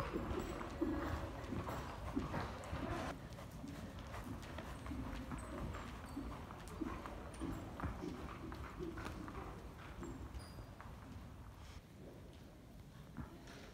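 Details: Rapid, loosely spaced clip-clop of Qoffee, a Belgian Warmblood horse (2016), with sharp thuds over continuous low rumble, slightly softer toward the end, and a little speech.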